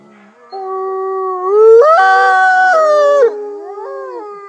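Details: Captive Mexican gray wolf (Canis lupus baileyi) F810 at a wolf conservation centre in South Salem, New York, leads a howl in long, sliding tones, joined in overlapping pitches by Mexican, red, Arctic and Rocky Mountain gray wolves.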